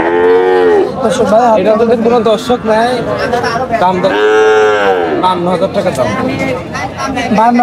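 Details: Young bull calves at the Oronkola livestock market after Eid give deep, drawn-out moos with rich harmonics, one at the start and another midway, rising then falling, over steady crowd chatter and men's voices.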